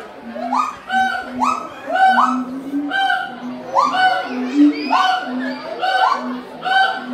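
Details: A gibbon at a zoo calls with a fast series of rising, hooting whoops, repeated in a steady rhythm.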